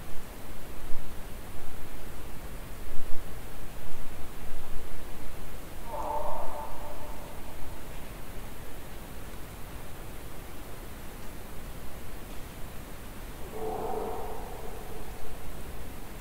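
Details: Two distant moose calls recorded while hunting, at roughly 200 to 800+ feet with no wind; each is a brief nasal moan about a second long over a steady background hiss.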